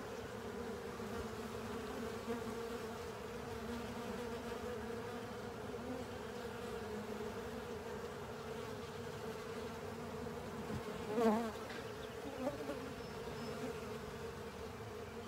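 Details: Many honey bees and their insect companions clean a honey filter, producing a continuous low droning hum. Near the end, one insect buzzes close past with a brief rising and falling whine that swells louder, then fades.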